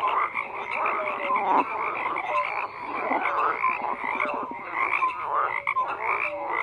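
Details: A dense frog chorus croaks without pause, many overlapping callers layering short pulsed croaks and bright tonal notes, with a steady high band of calls above and faint ticking pulses underneath.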